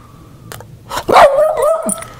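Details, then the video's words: Angry Boston Terrier, mad, voicing a single loud harmonic bark-like howl that bends down and then holds steady for about a second, after a quieter earlier sound; a person speaks nearby. "Angry Boston terrier"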